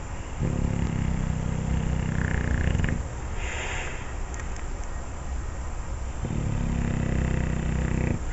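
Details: Olde English Bulldogge male asleep after dreaming and barking, snoring in deep, rumbling, harmonic drawn-out breaths: one long rasping snore lasting about two and a half seconds, a quiet pause, then another starting near the end.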